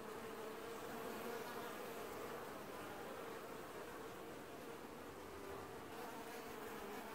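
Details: Colony of honey bees washboarding at the hive entrance in an apiary, early July 2019: continuous even buzzing with a thin sustained tone running through the middle, level and unbroken throughout.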